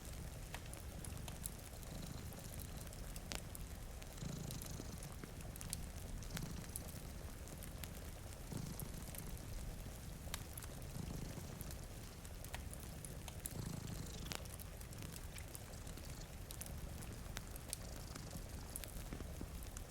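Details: Deep, continuous purr from two sleeping cats by a rain-streaked window, pulsing faintly with their breathing while a fireplace snaps and crackles and rain hisses softly in the background.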